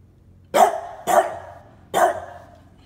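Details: Scottish Terrier barking on his dog mattress, apparently over messy sheets with no blanket on top; three sharp, loud single barks about half a second apart, then a longer pause before the third, in an otherwise quiet room.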